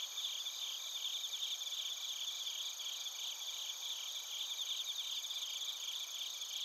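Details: Night-style insect chorus of bell crickets and crickets from Narita in Chiba Prefecture, Japan, on a TASCAM Portacapture X8: many high, rapidly pulsing chirps blend into an unbroken shimmering wall of sound.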